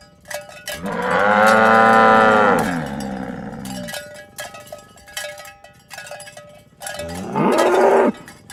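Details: Village cows walking to their pen in the morning: a long, strong low moo lasting nearly two seconds, a second shorter moo near the end, with ringing cowbells and footsteps throughout.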